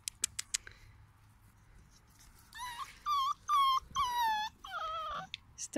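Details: Male pet beagles: after a few sharp clicks, a run of high, tonal whining cries with rich harmonics, each drawn out under a second, some wavering or falling, crowded into the second half.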